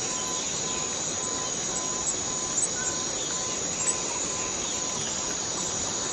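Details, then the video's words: Cicada in the Borneo rainforest: a steady, shrill high-pitched drone holds without a break, with a faint low note pulsing about twice a second beneath it and a few soft chirps. "Borneo Rain Forest Cicada - Cicada sound - cicada noise"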